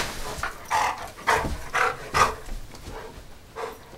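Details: Dog with the zoomies, running around excitedly. Breathy, forceful huffing pants come in bursts about twice a second, uneven and rough, with a few louder puffs.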